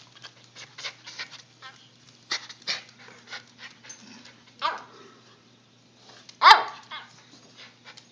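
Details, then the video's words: Soft clicks and rustles with faint huffs and whimpers from a puppy, ending in one loud, abrupt bark before quieter shuffling resumes. "Talking Puppy"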